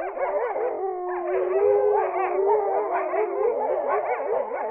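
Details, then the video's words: In Poland, a gray wolf pack howls together, several long wavering voices overlapping and sliding up and down. "Wyjąca wataha wilków. The call of the wolves. Poland."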